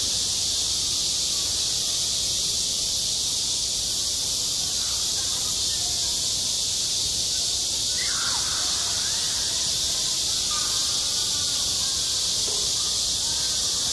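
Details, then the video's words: Summer cicada chorus over a school playground, a constant bright shimmering buzz with slight pulsing at the top; a short faint chirp rises briefly midway through. "한 여름 운동장에서 매미가 울고 있다 - 여름의 소리, 학교 종소리, 매미 울음소리"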